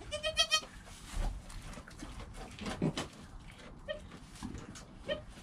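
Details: Newborn goat kid Joel, within his first hour of life, recorded on a GoPro beside his calm mother Penny: a burst of high, quavering bleats at the start, then two short, softer bleats later, over rustling straw and movement.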